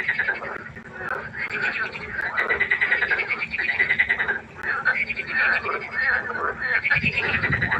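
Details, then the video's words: A chorus of frogs at night at a pond, an almost unbroken wall of fast, rasping, pulsed croaks that surges in waves, ending with a low rumble. "1 Stunde Froschkonzert. Frosch Geräusche quaken."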